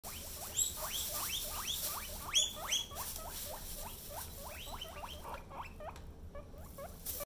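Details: Baby guinea pig wheeking: a fast run of short, squeaky rising whistles, about three per second, with brief pauses and a few louder high squeals amid soft rustling.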